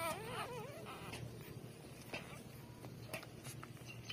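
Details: Three-day-old newborn puppies nursing from their mother. A wavering, warbling whine opens the clip and drops away within a second, followed by soft shuffling and a low steady hum.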